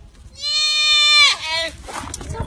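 A goat gives a loud, nasal bleat that holds steady, then breaks into a wavering, quavering tail.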